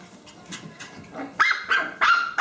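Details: Playful puppies, low grumbling growls followed by three loud high yappy barks in quick succession at the end.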